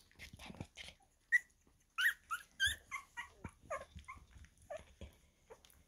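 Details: Young Havanese puppies, 2.5 weeks old, whimper and squeak in a loose series of short, high, bending cries, some louder yelps mixed with softer mewing notes, against faint rustling.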